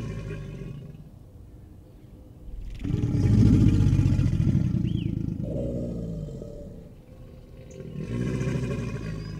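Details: American alligator (Alligator mississippiensis), bellow: mating behavior.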